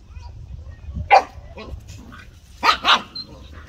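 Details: Pet dogs barking at home: one sharp, harsh bark, then a quiet pause and a quick pair of loud barks close together near the end, over a low steady background hum.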